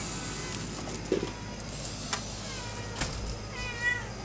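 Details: Domestic cat meowing a lot in the morning; a few drawn-out, wavering meows, one midway and a longer one at the end, over a steady low hum with occasional soft knocks.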